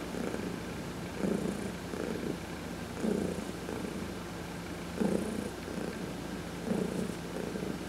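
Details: Steady purring by Heidi the cat, massaged while basking in the sun; regular rumbling pulses, about five in eight seconds, alternating between inhale and exhale swells.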